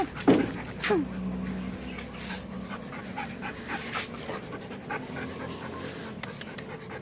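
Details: Belgian Malinois panting during a training session, breathy rasping pants repeating irregularly at roughly a pant and a half per second, with a brief vocal sound near the start and a person's voice speaking faintly in the background.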